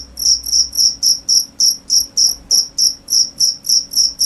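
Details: Steady series of high, trilled cricket chirps, each a short pulsed burst, evenly spaced about three and a half per second, clear against a quiet background.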